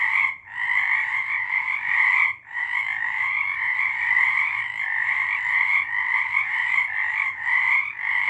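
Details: Frogs singing in March 2023: a dense, continuous chorus of overlapping trills with a lower and a brighter high band, dipping briefly near half a second and again past two seconds before swelling back.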